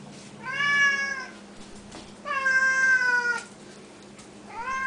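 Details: Siamese cats at feeding time, fed up on the counters, calling loudly: two long, drawn-out harmonic meows, the first level and sustained, the second sliding slightly downward, a third beginning at the end, over a steady low hum.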